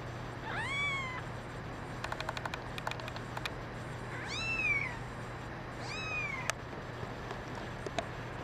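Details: Young domestic kittens, one a brown mackerel tabby and white female, call with three short, high, downward-curving meows, separated by a burst of light clicking and tapping noises, over a steady low background hum.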